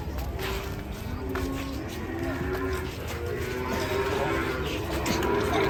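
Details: Several cattle come down from a truck, lowing in drawn-out, wavering moos that overlap and build in loudness toward the end, with music playing in the background.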